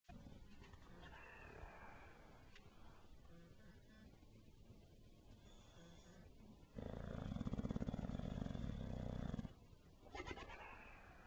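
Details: Benny, a bulldog, snoring: a loud, low rasping snore swells for about three seconds, with quieter wheezy breaths before and after.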